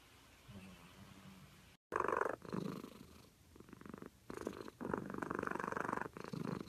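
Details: Sleeping cat snoring: after a quiet start and a brief cut, raspy, purr-like pulsed breaths come in uneven bursts, each lasting about half a second to a second.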